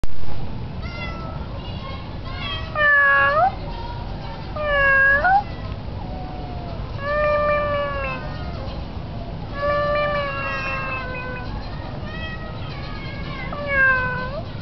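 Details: Tomcat perched on a roof on a very windy day, calling his owner: drawn-out meows, some rising and others bending downward, arriving in separate bursts every few seconds over steady low wind rumble.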